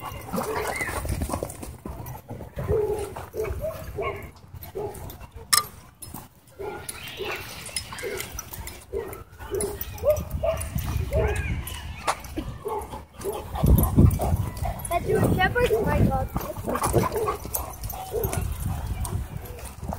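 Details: Several dogs wrestle in play at a dog park, trading dense runs of throaty growls and brief snapping barks at a rapid, uneven pace, broken by pauses, amid scuffling noise and distant people talking.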